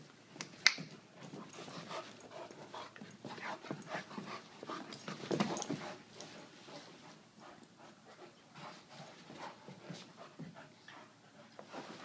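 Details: Irish Wolfhound Brogan romping with Millie the Aussie-Doodle puppy; quick breathy panting mixed with clicks and scuffles, a sharp snap near the start and a louder burst around five seconds.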